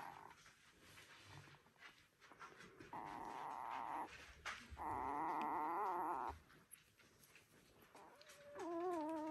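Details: One-week-old Border Collie puppies in a litter; long wavering whines held for one to two seconds, followed by a higher rising-and-falling squeal at the end, over a faint steady background hiss.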